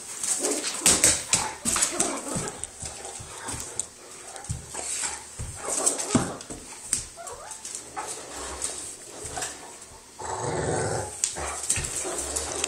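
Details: A Great Dane and a Yorkie at play together after a dog park outing: quick, uneven bursts of yipping and scuffling, then a denser rumbling stretch near the end, with constant high-pitched hiss behind.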